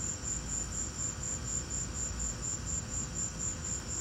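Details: Chirping crickets in a lightning storm, giving rapid, evenly spaced high-pitched pulses about four per second, with a dull low-frequency roar underneath.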